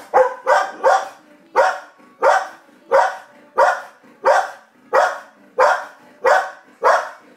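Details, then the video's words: Gracie the dog barks at the television, and Coco, who ignores the TV, barks back at her. Steady barks follow about every two-thirds of a second, with a faint double at the start. "Gracie barking at the TV & Coco barking at Gracie"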